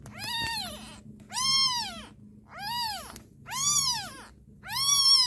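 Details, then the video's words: Crying kitten giving five loud, drawn-out meows, each arching up and sliding down in pitch, roughly one per second with short pauses between, faint low hum beneath. "kitten cute crying"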